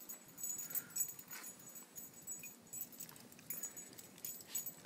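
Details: Scottish terrier mix whimpering, excited to see its owner; several short, thin high whines come in scattered bursts over quiet indoor background noise.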